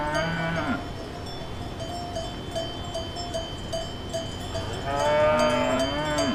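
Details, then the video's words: Cattle on a farm pasture: a short low moo opens, then a longer, louder moo with a rising-then-falling tone near the end, over steady ringing cowbells and faint chimes. "Funny Cow Sound for Kids"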